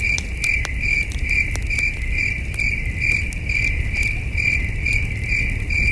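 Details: Steady cricket chirps in the dark at a calm outdoor camp, high and evenly pulsed about twice a second, layered over the crackle and occasional clicks of a burning campfire.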